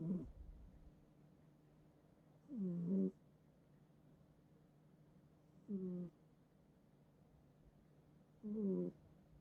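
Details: Domestic cat snoring while asleep in its owner's bed, in a multi-cat home; a few low, rough, rattling breaths rise and fall, one roughly every three seconds, against a quiet room.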